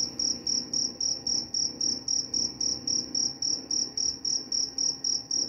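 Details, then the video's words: Cricket calling with bright, high pulsed chirps, each short burst swelling and fading, repeating roughly four per second; described as a bedtime sound that also repels mice, with faint low rumble behind. "Suara jangkrik pengantar tidur dan juga mengusir tikus."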